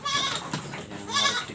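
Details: Goat suffering from cough, nasal discharge and laboured breathing: two strained, wavering harmonic bleats close together, the first longer, the second briefer and strained, with a faint human voice nearby.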